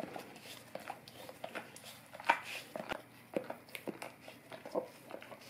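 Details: Indoors, a Golden Retriever works its tongue over an Orapup tongue cleaning brush; soft, wet lapping clicks patter unevenly, with one sharper louder smack partway through against a hushed room background.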